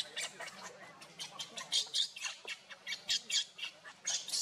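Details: Baby monkey Luno, whose mother Luna is unwell, giving a rapid series of shrill, noisy squeals and squeaks, short bursts repeated irregularly almost every second, with faint background hum.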